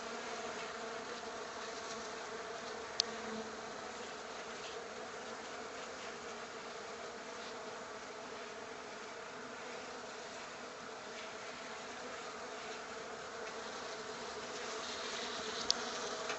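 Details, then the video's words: Honey bees that unexpectedly took a liking to a workshop, heard indoors as a steady, continuous droning hum with layered tones. The buzzing holds level throughout, broken only by a couple of faint sharp ticks. "Honey Bees in the workshop 2"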